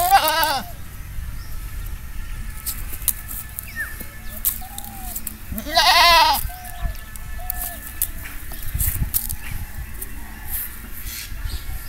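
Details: Two wavering goat bleats about five seconds apart, the second louder, with faint bird-like chirps and low background hum.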